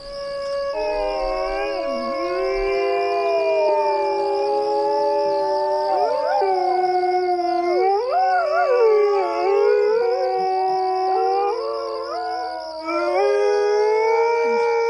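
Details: Coyotes calling: several overlapping wavering howls that slide up and down and cross one another throughout, with a steady warbling high tone running beneath the whole chorus.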